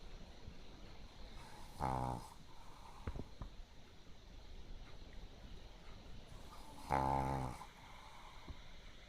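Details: Pekingese dog asleep after tiring itself out playing at a dog run during the day, snoring like a frog: two short buzzy, rattling snores about five seconds apart over quiet room hiss.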